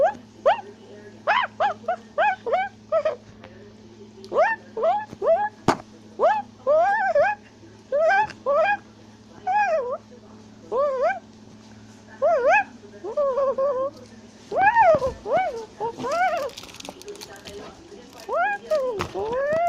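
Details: A tufted capuchin in South America climbing a tree gives rapid bursts of high, squealing chatter, with sharp calls rising and falling in pitch.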